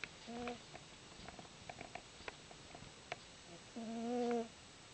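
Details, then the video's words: Izzie the chubby pet cat snoring while asleep: a short tonal snore, then after a quiet pause with light clicks, a louder drawn-out humming breath lasting about half a second. "Izzie snores"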